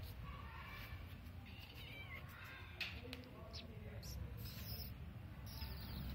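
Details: A cat meows a few times, short rising and falling mewing calls set against a steady hiss of background noise, with human voices murmuring nearby.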